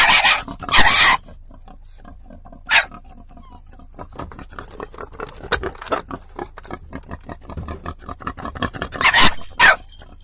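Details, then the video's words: Dog barking at a wild boar that tries to enter a car through the window, damaging the door; a few sharp, loud barks separated by long pauses, with scratching and rustling noises in between. "cane abbaia"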